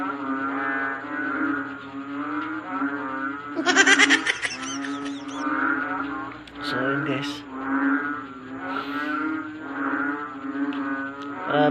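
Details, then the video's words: Loud nocturnal chorus of many frogs that keeps a person from sleeping, heard as layered, groaning harmonic calls repeating in waves, interrupted by a rattling burst of noise and a few sharp knocks. "GRABEH SUBRANG INGAY NG MGA PALAKA"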